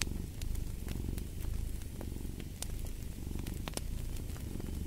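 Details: Cat purr, deep and continuous, pulsing in breath-length waves about once a second, with scattered snapping crackles of a fireplace on top.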